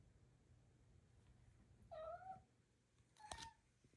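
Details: Indoor cat asking for help after knocking its mouse toy under a door: one clear drawn-out meow, slightly falling, followed a second later by a short sharp knock or thud, in a quiet room.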